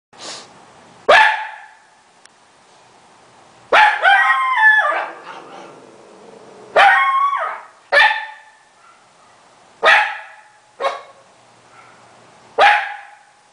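An Italian Greyhound barks in sharp, high, irregular bursts, some doubled or drawn into yelps.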